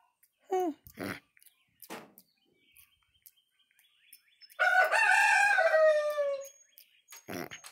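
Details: Java macaque named Bugs Bullock, a 20-year-old male in a barnyard, chattering with a person during grooming: brief rising squeaks and clicks, then a loud two-second descending harmonic call, with a person's murmured replies.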